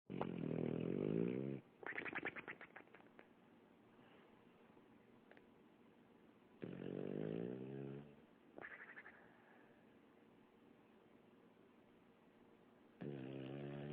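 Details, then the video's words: Sleeping female dog snoring heavily, as if with sleep apnea: low, rough, harmonic snores with a wavering pitch, in three long drawn breaths about six seconds apart, separated by quiet room noise and a few soft clicks. "Snoring Dog"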